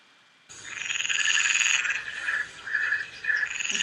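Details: A male mountain chorus frog (Pseudacris brachyphona) gives a raspy, trilling mating call in quick repeated bursts, inflating his throat to call for a mate; a species heard around ponds in spring.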